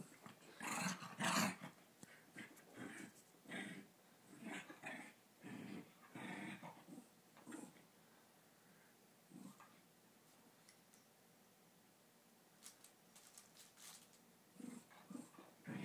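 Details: Havanese indoors, fighting with a Coton de Tulear; short rough growling bursts and snarls come in irregular clusters, busiest in the first seven seconds, then sparser after a quiet stretch.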